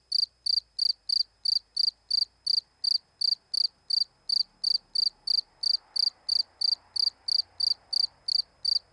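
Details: Cricket chirping steadily, short bright pulses repeated about three times per second for the whole stretch, each chirp evenly spaced, over a quiet background with only a faint low hum.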